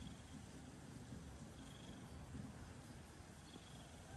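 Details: Domestic cat purring; a soft, steady low rumble with rapid pulsing, unbroken throughout, quiet with light background hiss.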